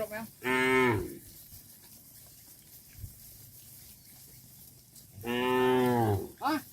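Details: Tame farm cattle herded back to their pen; two loud, long, rich moos several seconds apart, each swelling then fading, with a short higher call right after the second, over a quiet low rumbling background.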